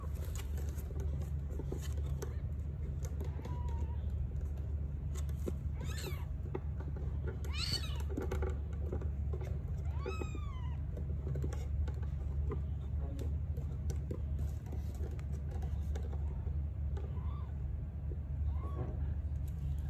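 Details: Several brief, thin, high mews, each bending up then down in pitch, over a constant low indoor electrical hum, as a mother Sphynx cat gives birth to three kittens of different coat colours.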